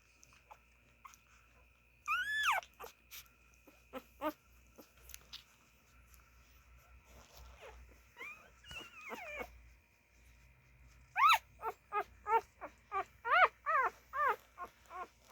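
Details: Siberian Husky puppies nursing, an isolated high yelp, then sparse quiet whimpers, and finally a burst of short rising-falling squeals repeated about twice a second.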